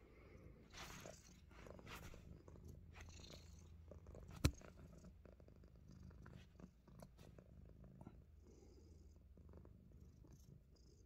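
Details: Himalayan Persian cat busy biting fingers, giving a low purring rumble that is strongest in the first four seconds and then fades, mixed with chewing clicks, rubbing noises and a single loud knock midway.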